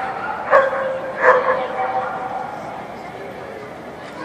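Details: Two quick, loud barks about a second apart from Mystic, a Standard Poodle running an AKC Jumpers With Weavers agility course in October 2013; background chatter and arena noise follow.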